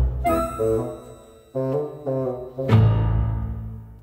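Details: Orchestral music with bowed strings and swelling low notes, and no animal sound.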